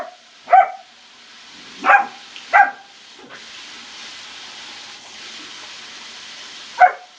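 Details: A German Shepherd puppy by a pool yips in short, high barks: one early, a close pair around two seconds, and a last one near the end, separated by stretches of hissing background.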